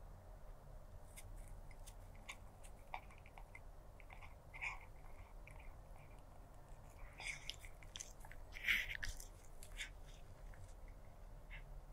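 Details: Stray black cat eating food, recorded 02-06-2024 with a stereo lavalier microphone: quiet, irregular crunching and chewing bites, sharper crunches around the middle and near nine seconds, over a low steady background hum.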